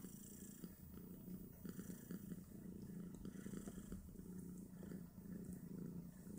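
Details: Nursing Snowshoe Siamese family, five kittens aged two days competing for their mother's teats; a rhythmic, pulsing low purr dominates steadily, with faint soft rustles above.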